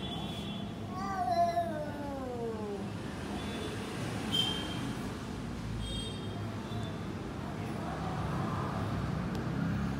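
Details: A cat's single long meow, starting high and falling steadily in pitch, comes early, followed by quieter faint sounds against a constant low rumble of background noise.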